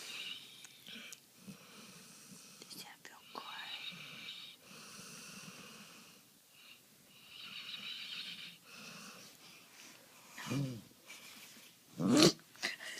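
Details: Maggie, a Golden Retriever, snoring: soft, breathy, rasping snores come in slow repeated cycles, then two sharp, loud sneeze bursts break in near the end.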